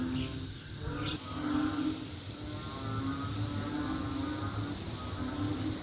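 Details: A loud chorus of banded bullfrogs after overnight rain, likened to rice fields: deep, overlapping moaning calls form a continuous low drone, and a brief sharp click or knock comes near the first second.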